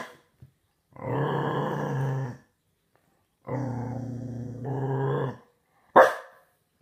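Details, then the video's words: A six-month-old Staffordshire Bull Terrier puppy gives long, deep, really loud rumbling growls, ending with a sharp bark. "Dog Growling Really Loud"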